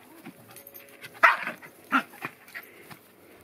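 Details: Cairn Terrier playing while two of its siblings visit, giving two short, sharp barks about three-quarters of a second apart, followed by softer snuffling and small yelps.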